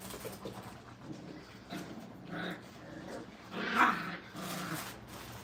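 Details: Brittany puppies in a kennel during crate and tunnel training make faint, short whimpering whines and soft growl-like sounds, with one louder nasal burst near the end, over rustling and low room noise.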